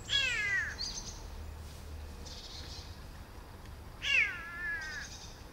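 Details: Grown-up rescued kitten, left by its mother and raised for six months, utters two drawn-out bending meows about four seconds apart, each falling then levelling, with soft rustling between them.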